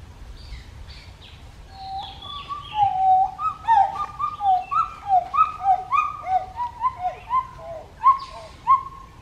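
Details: Pileated gibbon calling: a building series of about fifteen loud whooping notes, alternately rising and falling, roughly two per second. Fainter high notes sound in the background.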